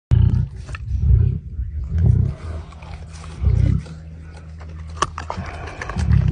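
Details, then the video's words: Hungry tiger in India, tied to the Sunderbans Tiger Reserve in West Bengal: deep, low rumbling roars in repeated bursts about once a second, each lasting under half a second, with faint voices in the background. "hungry tiger"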